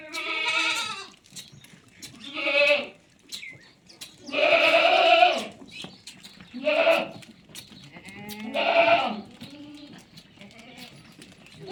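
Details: Sojat goats at a goat farm, giving five loud, wavering, harmonic bleats, each about a second long and spaced roughly two seconds apart, with quieter rough bleats between them.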